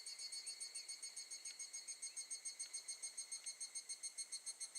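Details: Evening cicada (higurashi) singing in August 2018 at Gakujin no Mori campsite, Tokushima, Japan: a high, ringing trill pulsing rapidly and steadily, about three to four beats per second, with faint clicks behind.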